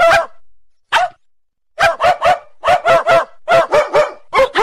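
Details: A Labrador Retriever gives loud, rough barks, first two single ones and then rapid runs of three or four barks in a row, around fourteen barks overall against a quiet background.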